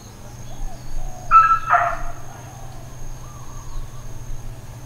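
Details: Dog barking in Hawaiian Paradise Park, Hawaii, on Labor Day, September 2, 2024, part of uncontrolled intermittent neighbourhood barking: two short, harsh barks in quick succession near mid-clip, over a steady low hum and a faint constant high tone.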